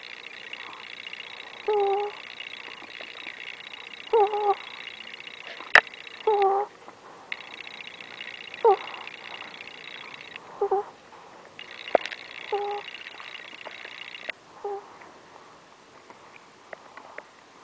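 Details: Ferret breathing in its sleep: short, soft squeaky breath sounds come about every two seconds over a steady high-pitched hum that switches on and off in the background.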